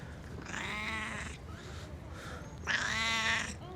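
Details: Stray cat that sits like a loaf and talks nonstop, giving two drawn-out harmonic meows about two seconds apart, the second one louder and rising slightly, over a quiet low background hum.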